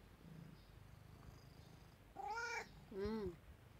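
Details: Cat at a second-floor window looking up at the sky, giving two short meows with clear rising and falling harmonics after a quiet stretch.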